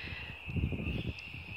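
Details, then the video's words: Frogs calling from the woods at the end of a street, heard from a backyard: a steady, unbroken high-pitched trilling chorus runs throughout, with a person talking low over it. "The sound of frogs"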